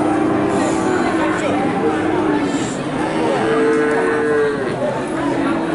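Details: Cattle at a livestock market, several overlapping harmonic moos, one long steady low moo near the middle, over a constant murmur of crowd chatter and market noise.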